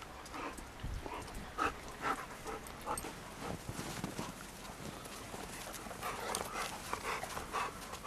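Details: Two rescue dogs, Roe, a Shar Pei, and Bella, a Bernese mountain dog and pit bull mix, wrestle and tackle each other in the snow. Rough huffing and panting bursts come about twice a second, with scuffling in between.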